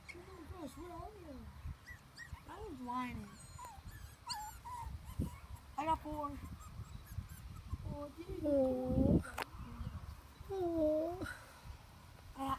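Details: Teddy Bear puppies playing outside, several of them whining: high, wavering whines rise and fall and repeat, some sliding down in pitch, while a woman talks over them in an excited voice.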